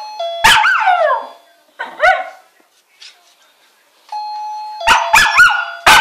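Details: Scottish Terrier 'singing': wavering, downward-sliding howls with clear harmonics, two bursts about a second apart, over steady electronic chime-like tones and short sharp clicks.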